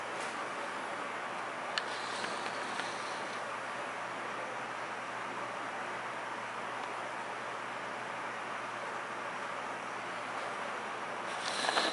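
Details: Steady broadband hiss and rumble, like traffic or machine noise, fills the whole stretch, with a few faint clicks and no animal voice.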